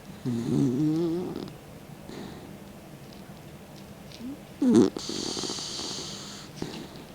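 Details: Mick, a 16-year-old grandpa dog, sleeps with his tongue out, snoring indoors: a wavering, rumbling inhale snore near the start, a short snort later, then a long airy hissing exhale.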